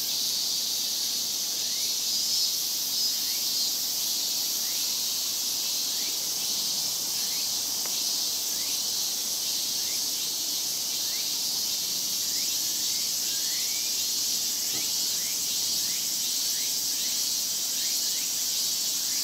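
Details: Big summer chorus of cicadas in Japan, known as semishigure: a dense, unbroken high hiss fills the air, with short rising buzzy sweeps repeating through it at irregular intervals.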